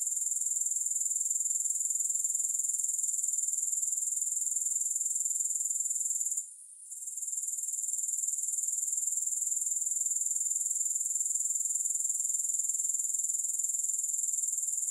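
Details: Grasshoppers with no music, a steady very high, shrill insect trill pulsing about four times a second; the chorus briefly drops out near the middle, then swells back to full strength.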